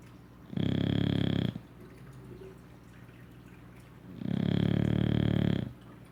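An English Bulldog snores in long, rumbling breaths with quiet pauses between them.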